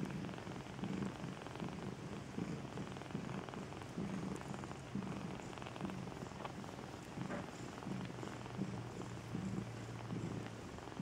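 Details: Continuous low purring from a Maine Coon kept at a Saint Petersburg cattery in Russia, rhythmic rumbling bursts repeating evenly over a quiet indoor background.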